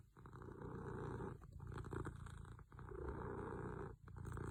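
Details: Sleeping cat snores with a low, steady rumble. Three long breaths are broken by brief pauses, with a gravelly buzz running through each one.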